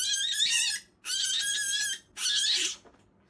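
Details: A pet rabbit at its first vet checkup, held by the back, gives three harsh, high-pitched squeals, each under a second; a breeder judged it frightened by dog and cat smells, not in pain.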